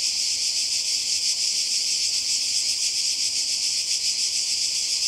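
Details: Summer cicada chorus on the Croatian coast: an intense, hissing drone high in pitch, carrying a soft rhythmic throb of about one and a half pulses per second, holding constant with nothing else clearly heard.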